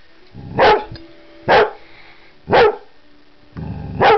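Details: Delilah the Vizsla giving four loud single woofs, roughly one per second, each preceded by a soft low grumble.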